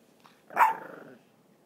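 A Boston Terrier gives a single short, sharp bark that fades quickly.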